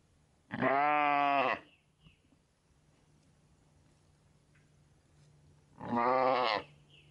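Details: Sheep with lambs sleeping on their mothers' backs; two loud, rich, wavering bleats about one second long each, separated by roughly four seconds of quiet with a faint low hum.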